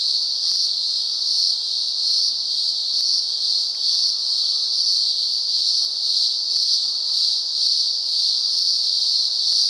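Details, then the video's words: Loud daylight cicada chorus in the upper Blue Mountains, Australia, forming an unbroken high buzzing wall of sound with quick, uneven pulses in intensity and occasional faint clicks beneath. "Cicada Symphony"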